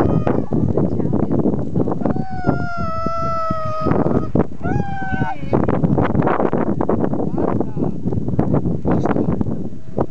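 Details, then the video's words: Husky dog named Buster, recorded on a skiing trip, pining for his departing owners: a steady drawn-out howl held for about two seconds, then a shorter higher note, with people talking and outdoor noise throughout. "Howling Husky"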